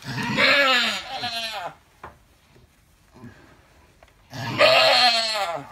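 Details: Labouring Alpine goat delivering triplet kids gives a long wavering bleat, then after near silence with faint rustles, a second strained, nasal cry.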